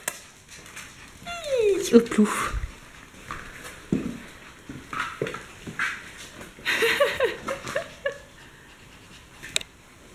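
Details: Five Akita Inu puppies from Tirun's litter at the O Chanur kennel play indoors on 24 July 2016; short falling whines and yelps break out twice among paw scuffles and clicks, with people talking in French nearby.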